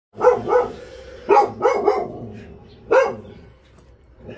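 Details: Stray dogs being moved by volunteers from a rescue centre in Ulsan, South Korea, bark in sharp bursts: paired and single harsh barks, about six in all, fading into quieter yelps while people talk nearby.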